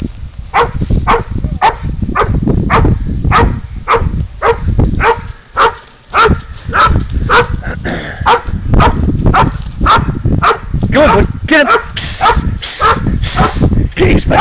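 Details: Spud, a dog, baying up a goat during a catch-and-release chase: loud, rough barks repeat almost twice a second, steady but slightly uneven, over a low rumbling background and a man's shouted urging.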